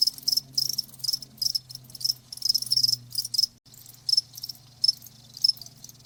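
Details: A cricket's high, clear chirps repeat about twice a second in short pulsed bursts, a soothing nature sound for tinnitus, with a low droning hum beneath that breaks off briefly midway.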